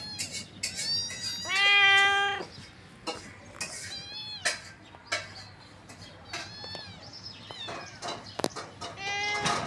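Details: Cute kittens playing on grass with their mother: a loud, clear meow with rich harmonics near two seconds, then many short high thin kitten mews and rustles scattered through the rest.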